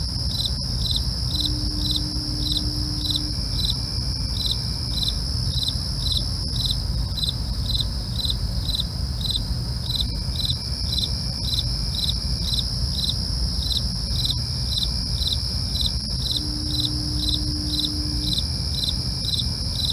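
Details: Crickets heard at night: rhythmic chirps about twice a second over an unbroken shrill trill, with soft low hum and occasional faint steady tones.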